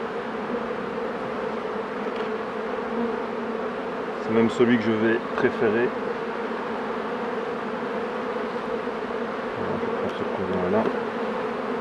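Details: Steady hum of many honey bees at hives as a beekeeper works, a constant low drone with a short burst of French speech midway and a faint voice near the close.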